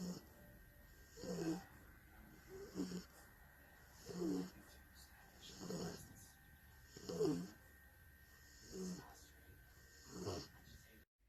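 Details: Worn-out bulldog snoring loudly while peacefully napping: regular rasping inhalation snores repeat roughly every one and a half seconds, each a short throaty rumble, separated by quiet pauses over a faint constant hum.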